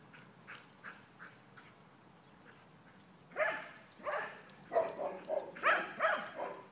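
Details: On a spring morning two dogs, Ghira and Intense, keep playing outside; soft ticking sounds give way to a cluster of loud, rough, overlapping growly bursts in the second half.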